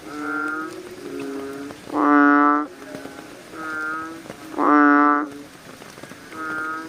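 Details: Night chorus of American bullfrogs, in which two powerful, resonant croaks stand out among several softer, shorter croaks from neighbouring frogs, each call a sustained deep tone lasting about half a second.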